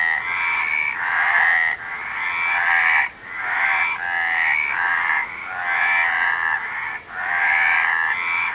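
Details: A loud frog chorus of buzzy, pulsing croaks in long swelling bursts separated by sudden brief pauses, repeating several times over the stretch.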